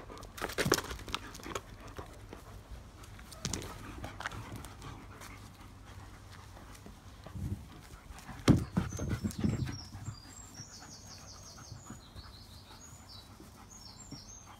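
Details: German Shepherds from a pack, with breathy panting bursts at the start, around three seconds and a louder run near eight to ten seconds, then high thin bird chirps in the second half.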